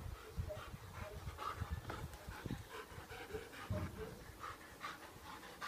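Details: Garden play-fight between two German Shepherd x Norwegian Elkhound cross dogs, one-year-old Opie and black eight-month-old Boba Fett: rapid breathy panting with short low grunts and occasional faint voices.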